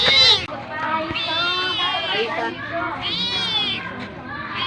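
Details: Hungry cat asking to be fed: a sharp short cry, then two long, steady, high meows, the second fading toward the end.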